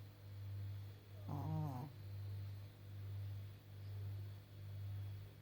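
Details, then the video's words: Elderly blind Pekingese bitch, 14.5 years old, snoring in her sleep; deep, even rumbling breaths roughly once a second, broken by one short snorting, nasal catch midway. "моя старушка и храпушка"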